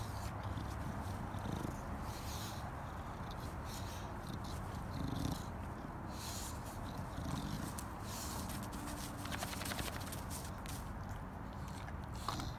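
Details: A female English Bulldog spinning and rolling around on the ground in a planter makes a continuous stream of low, rough, pig-like snorts and grunts, the snuffling rumble rising and falling in bursts with little pause.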